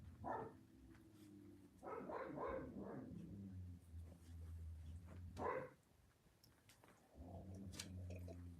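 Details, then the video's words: Playing puppies trade throaty, droning growls broken by a few sharp yips, the growling rising and fading over several seconds before a brief lull and a fresh rumble. "Puppy playtime"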